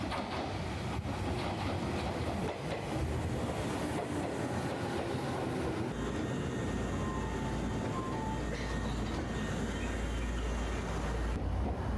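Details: Rumbling train passage in Ito, Shizuoka, Japan, with clattering rail noise, low engine hum and brief squealing tones; no animal calls.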